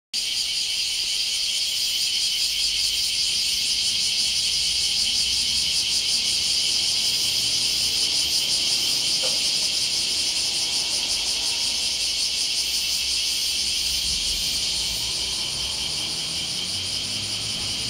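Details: Many bear cicadas roar in a loud, unbroken high-pitched buzzing drone at Hamamidaira housing estate near the sea in Chigasaki, where they are abundant; they fly off and move right after calling. Bear cicada chorus.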